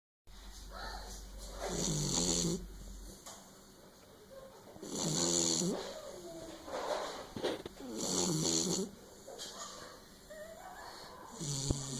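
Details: A Beagle asleep indoors snores in long, rough, raspy breaths that swell and fade roughly every three seconds, four drawn-out snores in a row with a harsh buzzing texture.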